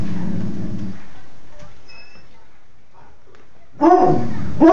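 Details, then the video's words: A female Black and Tan Coonhound gives a low, drawn-out howl, then breaks into loud, rising baying cries. "Dazy, Black and Tan Coonhound, howling"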